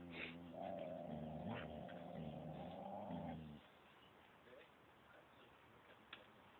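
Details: On a walk at Phuket Dog Resort with Samoyed XASCA and Thai-mix FELIX, a dog produces a steady, tonal, harmonic moan lasting about three seconds, then stops, leaving soft background rustle and hiss.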